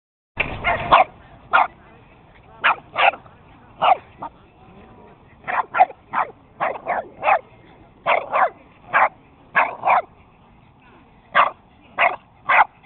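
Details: Several dogs named as beagles, a Boston terrier, a Jack Russell, a chihuahua and a puggle chase each other in play, tag style; sharp yapping barks come in bursts, often doubled, about twenty across the stretch, fairly evenly spaced.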